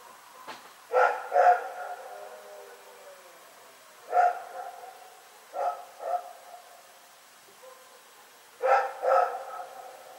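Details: Dog named Rex barking at night on February 27, 2018: irregular barks, a double, a single, another double and a closing double, spaced a few seconds apart in a still setting.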